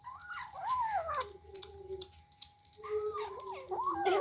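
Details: Cute kittens eating for the first time and squabbling over food, giving two bursts of wavering, drawn-out meows that rise then slide down in pitch, separated by a short quiet gap, indoors with a steady faint hum.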